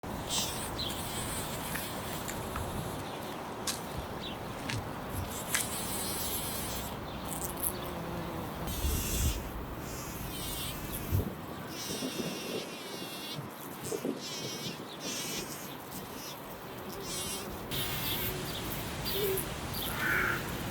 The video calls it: Bee /Bumblebee / Bee buzzing